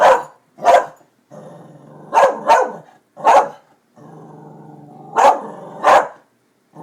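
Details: Darby, a dog excited at construction workers on the new buildings, barks twice quickly, growls low, then barks in pairs and singles, seven barks in all, with rumbling growls filling the gaps.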